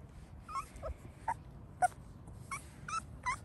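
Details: Pomsky puppy, a small lap dog, snuggling and giving soft, high, short whimpering squeaks, about seven brief yips spaced unevenly over a few seconds, with a person talking gently and low background rumble.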